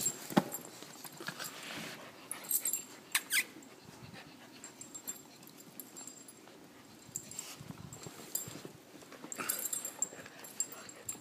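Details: Two puppies at play, each trying to be alpha: scuffling, huffing and soft grumbling noises with scattered sharp knocks and thumps, louder bursts near the start and toward the end.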